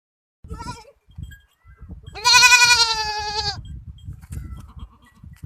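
Young goat kids bleating: one brief cry, then a loud, wavering, nasal bleat over a low background rumble.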